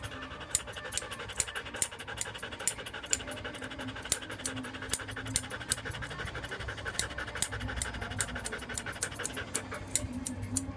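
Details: During a grooming session in Paris's 8th arrondissement, Joe the standard poodle keeps up a fast rhythmic pant of short airy breaths, punctuated by crisp clicking and a soft continuous hum in the background.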